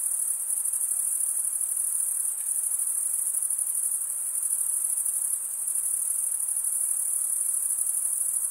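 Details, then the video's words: Crickets chirping, the males producing the sound by stridulation, rubbing one wing across a toothed vein on the other; a dense, continuous high-pitched trill with a fine rapid pulse and no breaks, faint broadband hiss beneath. "Most relaxing cricket sound for 8 hours"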